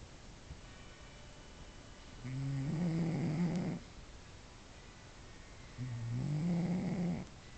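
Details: Cat fast asleep indoors, billed as the world's loudest snorer: two rumbling, nasal snores about three and a half seconds apart, each lasting over a second with a low buzzy drone and rougher breathy edges.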